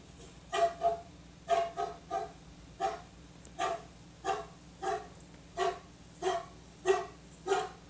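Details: Barking dog, described as sounding like a pitbull, delivers a steady run of about fourteen rough barks, often doubled, roughly every half second, against a low background hum.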